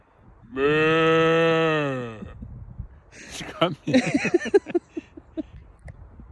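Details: One loud, sustained cow moo, low and buzzy, lasting about one and a half seconds and sagging in pitch at its close, followed by people talking and laughing.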